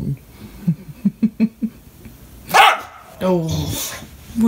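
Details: English Bulldog indoors barking and crying when nobody plays with him: a run of soft low grunts, then a loud harsh bark followed by a whining cry in a small room.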